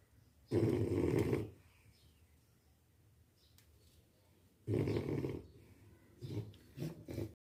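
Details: French Bulldog snoring: deep, rumbling, raspy snores, one long snore, then a pause of about three seconds, another long snore, and two shorter, choppier snorts close together at the end, on a quiet background.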